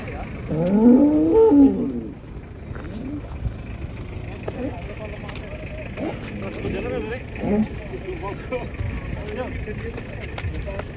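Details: Cattle being unloaded from a tilting truck give one loud, low, arched moo with rich harmonics lasting about a second and a half, then fade to scattered quieter calls beneath ongoing human chatter and background noise.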